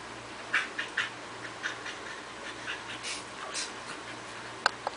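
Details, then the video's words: Toki and Toby, a pair of Corgis tugging at a toy, make odd noises: hard panting and snorting come as scattered breathy puffs, some louder and sharper, ending in two quick snorts. "Toki makes wierd noises"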